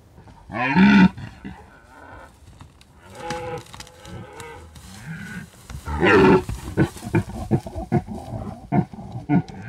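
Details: Red deer during the rut in the mountains of Bucovina, captured by a drop rig left out for about a week at peak season; a few rough, harmonic roars rise out of a murmur of quieter, more distant calling.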